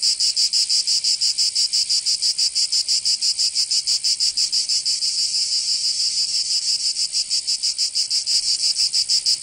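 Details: Summer chorus of cicadas in Provence, in the south of France, a loud high-pitched rasping drone beating in quick regular pulses, roughly three per second, without pause throughout.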